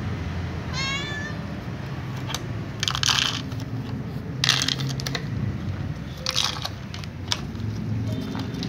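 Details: A calico cat, with other cats nearby, asking to be fed: one short, bright meow early on. It is followed by several loud crunching bursts over a constant low background hum.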